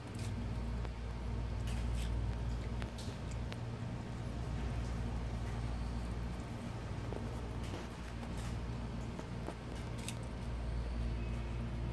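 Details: Low steady traffic rumble fills the recording, broken by scattered soft clicks and knocks, with no animal voice.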